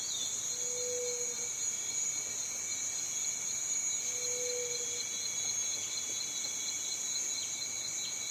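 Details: Cicada song in a continuous, unbroken high-pitched drone with steady shrill layers, with two brief low hums around the first and fourth seconds.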